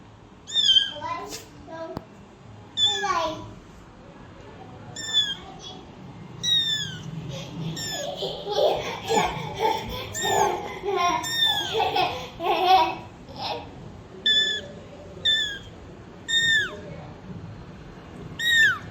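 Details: Mother cat with kittens; high-pitched, thin meows repeat roughly every second or two throughout, while a child's voice and talking murmur in the middle of the stretch.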